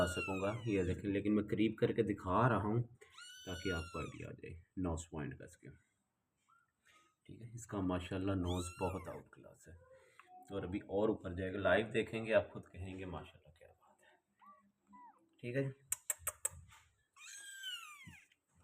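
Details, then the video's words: Persian kittens, white, black and grey, giving thin, high, arching mews, a few scattered through the stretch and one more near the end, mostly under steady human speech indoors. "Cute Persian Kittens Collection 🐾 | White, Black & Grey Babies"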